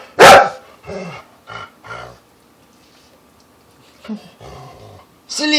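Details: Pet dog, a female, barking on encouragement indoors: an explosive loud bark at the start, then a few short softer sounds and people talking playfully. A quiet gap follows, and another sharp bark comes at the end.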